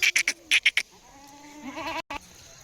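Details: Goat offered to buyers who came from Malegaon taluka. A few sharp knocking clicks open, then a nasal, harmonic bleat holds steady, rises, and breaks into a quavering wobble before a brief cut.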